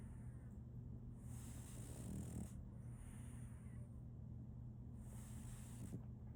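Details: Soft snoring from Solaimy, a female French Bulldog puppy, asleep: gentle rasping snores around two seconds and near the end, with long airy breath sounds between and a low background hum.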